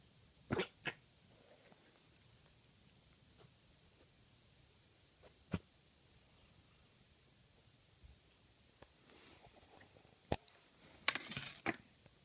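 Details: A Maine Coon kitten in a quiet room makes short, sharp sounds like hiccups, coughs or sneezes; a vet said it was nothing to worry about and can happen when kittens eat fast.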